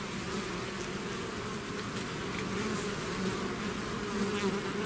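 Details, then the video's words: Natural buzzing of a bee swarm out of its hive, an even drone of countless wings, low and steady, with faint rising whines of single bees weaving through the chorus. "bees therapy swarm natural buzzing sound"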